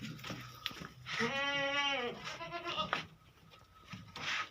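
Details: Beetal goat on a Hanumangarh, Rajasthan farm with three adult females: one drawn-out, tremulous bleat, then a softer shorter bleat, over steady background hiss and faint farm noise.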